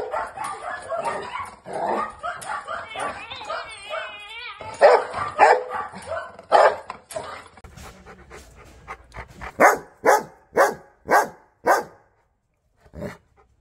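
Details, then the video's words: Angry dog barking: a chaotic opening of mixed barks and whining with voices, then a run of sharp, evenly spaced loud barks about twice a second, ending in two fainter yips. "Angry Dog Barking Sound"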